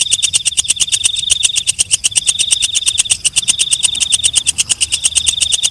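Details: Walang kecek calling at night: an unbroken stream of rapid, crisp ticks layered on a shrill, sustained high note, steady and insistent throughout.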